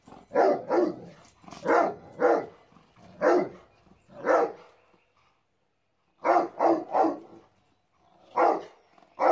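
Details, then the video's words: Rottweiler reacting to a remote-control car, barking in quick bursts of two or three deep, rough barks, with a silent gap of about two seconds before a fresh run of barks. "Rottweiler vs R/c car"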